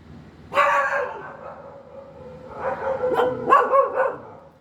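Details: A dog whines in a long tonal note that trails off. A burst of three quick, sharp yips and barks follows toward the end.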